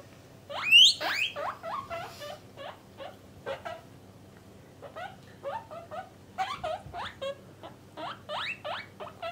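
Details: Guinea pig family kept as pets, males and females caged apart, wheeking loudly: a strong rising squeal followed by a steady string of shorter upswept squeaks, roughly three or four per second, in a quiet room.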